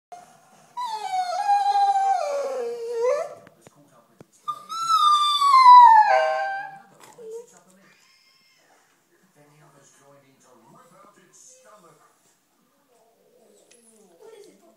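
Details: A 2-year-old female Airedale Terrier watching African wild dogs on TV gives two long, wavering, high howls, each sliding downward. She seems to be calling to the pack.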